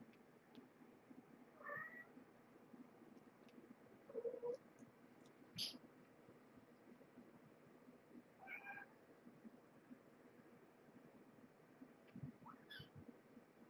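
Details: Kittens and their mother Marge, a former pregnant stray, at Purrfect Pals during evening dinnertime on December 30; the kittens were born November 22, 2014. Several short, faint, high meows are spaced a few seconds apart over soft room noise and clicks.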